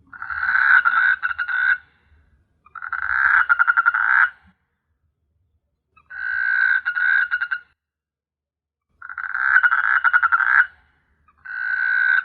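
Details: Nighttime frog calls from S.Hulhumeedhoo island, Maldives: harsh buzzy croaking bursts about one and a half seconds long, stippled with quick rattles, repeating roughly every three seconds with short silent gaps.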